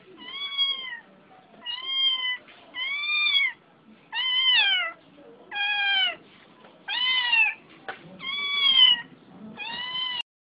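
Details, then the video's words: Crying house cat giving eight insistent meows in steady succession, each roughly three-quarters of a second, arched in pitch and repeated about every second and a quarter, with quiet gaps between. "Crying Mustard"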